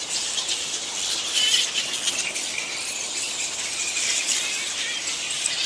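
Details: Flying foxes, giant fruit bats, in a roosting colony at Lansvale in Sydney, make a constant high-pitched squealing and chattering din from many animals, with one brief clearer squeal near one and a half seconds.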